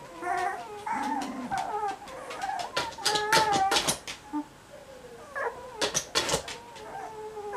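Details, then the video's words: Cocker Spaniel puppies cuddling, letting out drawn-out whines and squeals with rising and falling tones, broken by sharp scratching and rustling noises. "Cuddling Cocker Spaniel Puppies"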